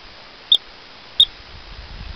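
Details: Woodchuck (rock chuck) in western Colorado on an evening, whistling and chirping at people and dogs; two short, high, sharp whistles about 0.7 seconds apart over a quiet background.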